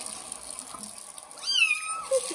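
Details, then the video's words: Young kitten meowing loudly during its first bath in a bathroom: one high, drawn-out wavering meow falling at the end, followed by a short squeak, over a steady hiss of running tap water. "First bath for kitten Johnny and its loud meow"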